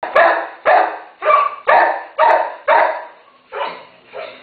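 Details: Terrier mother with one-day-old puppies barking steadily, about two sharp barks a second, each burst broad and harsh with a short pause between; no other sounds stand out.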